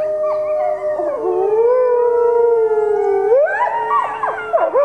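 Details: Captive critically endangered red wolves, four of them including two nine-month-old pups, howl at the Wolf Conservation Center in South Salem, New York, joined by other wolves there. Long, smooth overlapping howls hold steady, then several voices slide upward near the end.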